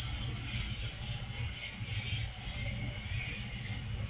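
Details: Night cricket chorus: an unbroken high-pitched pulsing trill, with quieter mid-pitched wavering tones beneath and a faint low rumble throughout.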